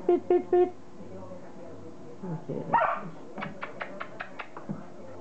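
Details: Border Collie puppies of Kim and Indi at play: three quick high yips at the start, a longer scrappy bark-growl midway, then a run of small rapid ticking sounds, with human speech mixed in and a low hum throughout.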